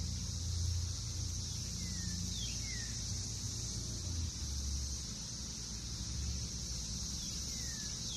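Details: Brood X periodical cicadas, emerged after 17 years underground, filling a Northern Kentucky backyard in June 2021: a steady, unbroken high droning chorus, with a few short downward-sweeping bird chirps and a low rumble of passing traffic beneath.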